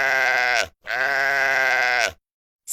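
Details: A sheep bleating twice: two rich, nasal bleats, the first short and the second longer at over a second, each with a shaky vibrato, separated by a brief pause.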